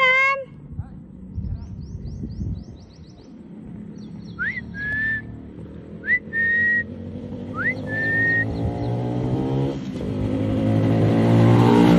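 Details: Human whistles, short rising notes followed by level tones, repeated three times over a voice at the start and a steadily building vehicle rumble.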